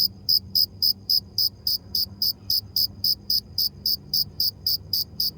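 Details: Cricket chirping: short, sharp, high-pitched pulses repeated steadily about three to four times per second, each a clean ringing chirp over a faint low background hum.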